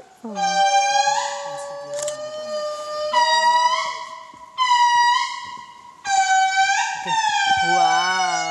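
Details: Indri family singing in Analamazaotra near Andasibe, Madagascar, wild animals calling together: loud, long, horn-like wailing notes held steady then sliding, in overlapping bursts about every one and a half seconds, with rich harmonics, one voice wavering at the end; faint human voices.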